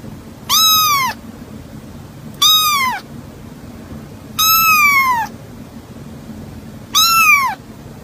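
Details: Black cat meowing: four clear, drawn-out meows, each sliding upward then falling, spaced about two seconds apart, with a quiet low hum between them.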